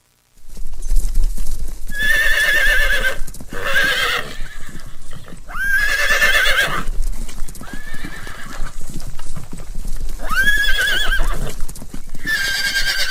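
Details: A horse gives several shrill, quavering neighs that trail off downward, over steady hoof clatter.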